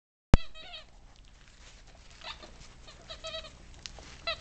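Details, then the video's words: English Cocker Spaniel puppies, ten weeks old, kept with adult spaniels: a sharp click, then a run of short high whimpering yelps with rich harmonics, a few more brief squeals later over low background hum. "Englisch Cocker Spaniel Welpen / Puppies 10 Wochenalt"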